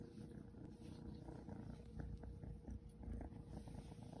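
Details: Seal point Ragdoll kitten purring while being petted and patted: a steady low rumbling purr with soft pulsing throughout, plus faint light rustles of handling.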